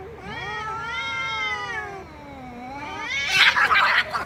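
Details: Domestic cat meowing loudly: one long, drawn-out wavering meow that dips and rises over about three seconds, ending in a harsher, noisier burst.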